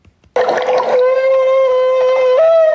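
A humpback whale's feeding call: a long, steady, trumpet-like tone that steps up in pitch at the end.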